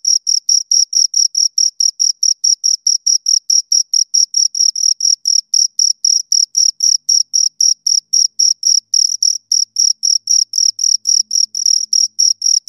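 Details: Pair of crickets producing rapid, evenly spaced high-pitched chirps, roughly four a second, each a brief shrill pulse; a barely noticeable low hum appears near the end, otherwise silent background.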